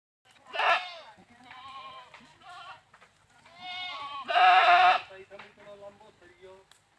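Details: Domestic goats bleating in two bursts, a short wavering bleat near the start and a longer, louder quavering bleat later, with softer bleats between them.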